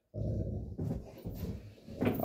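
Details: Cane Corso at home eager for morning play, uttering three low, rumbling grumbles in quick succession, the last rising slightly in pitch, in a quiet small room.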